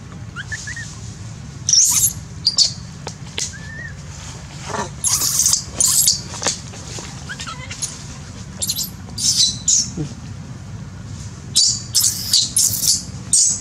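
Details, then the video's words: Pitiful baby monkey terrified by a big female on a branch, giving repeated short, noisy, piercing shrieks scattered through the recording, some in quick runs of two or three, over a steady low hum. "Pitiful baby monkey is torturing by big monkey | Baby cries seizures"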